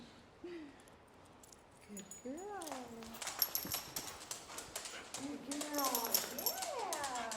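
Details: A loud dog getting a chiropractic adjustment gives rising and falling whines and yelps, bending up and down in pitch, while a man talks over it and apologises.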